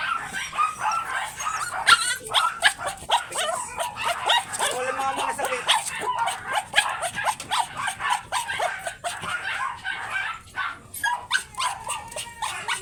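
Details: Teacup import-line Pomeranians at a kennel during stud service, yapping in rapid, high-pitched, overlapping barks and yips that run almost without pause, several voices crowding together throughout.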